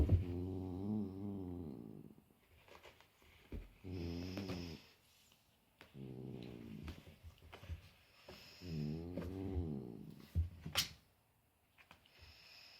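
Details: Big cat meeting his little brother for the first time, indoors in a small room; low, wavering, growl-like drawn-out calls lasting one to two seconds, repeated about four times with short pauses, faint clicks between them.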